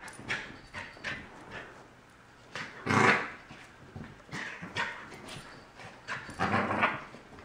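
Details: Corgi puppy, a young male, objecting to his new collar indoors; short scattered whines and grumbly vocal bursts, one louder burst near the middle and another toward the end, with rustling between.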